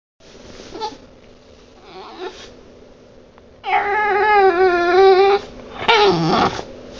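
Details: Bulldog making a horrible noise indoors: a long, steady, nasal whine with many stacked overtones that holds for nearly two seconds, then a shorter wavering cry, after quieter breathy snuffles.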